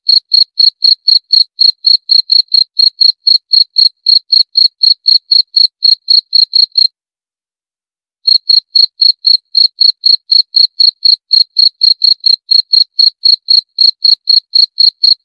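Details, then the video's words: Cricket chirping in a steady train of short, high, clean pulses, about four per second, pausing for over a second near the middle before resuming at the same pace; no other sounds. "30 Menit Suara Jangkrik - 30 Minutes Cricket Sound Effect"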